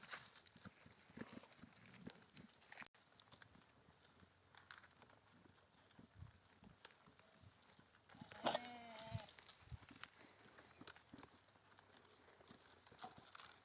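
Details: Goat giving a single short, wavering, harmonic bleat about two-thirds of the way through, set against steady outdoor background noise with scattered clicks and knocks.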